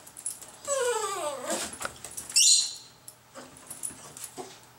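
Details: Dog whimpering for cat food left in a garage: a drawn-out, falling whine with several harmonics, then a sharp high yelp; a person murmurs softly nearby.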